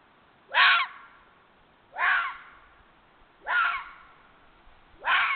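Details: A red fox (Vulpes vulpes), recorded 31 January 2022, gives harsh, raspy cries, each under half a second, repeated about every one and a half seconds.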